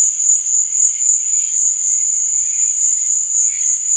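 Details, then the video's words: A cricket at night gives a constant, shrill ringing trill that never pauses, with a soft buzzy layer underneath. "Cricket Sound"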